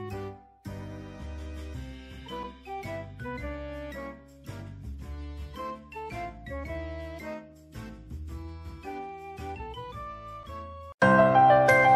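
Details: Gentle melodic instrumental music with flute-like notes, cutting to a louder, brighter passage near the end, no animal voice.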